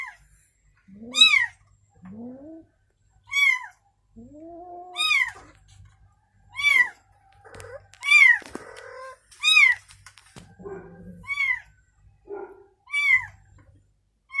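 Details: A newborn kitten with its mother cat gives a string of shrill, arched mews, mixed with lower, rising answering calls and faint soft rustling.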